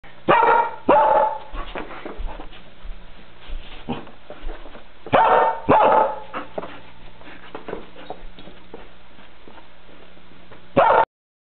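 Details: Happy dog giving loud bursts of barking and yips in clusters near the start, around five to six seconds and again at the end, with quieter scuffling and thin tonal squeaks in between.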